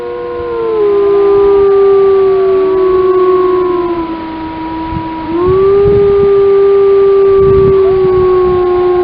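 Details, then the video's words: Grey wolves of the Lamar Canyon Pack howling together in Yellowstone: several long, smooth, overlapping howls, with one voice sliding down and later swelling up again while others hold higher drawn-out tones above it. "Wolf Serenade"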